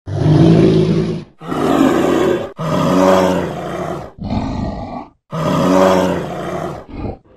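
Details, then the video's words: A brown bear in a forest in its natural habitat gives deep, rasping roars in bursts of about a second, separated by short pauses. "Roaring Brown Bear: Majestic Sounds of the Wild"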